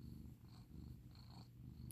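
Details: Indoors in Seattle, a senior female foster cat purrs as she is petted and praised: a continuous deep, even purr with a soft pulsing rhythm and a faint high hiss in the background.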